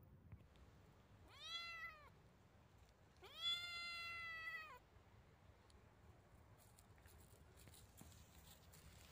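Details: Domestic cat giving two clear, drawn-out meows, the first short and the second longer and louder, each rich in harmonics with a gently arched pitch that dips at the end; quiet indoor background.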